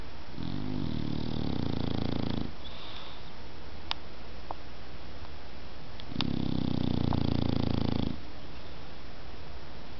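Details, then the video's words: Dog snoring while asleep indoors: two long, low rasping breaths a few seconds apart, each about two seconds of rough rumbling, with quiet pauses and faint room hiss between. "cachorro roncando"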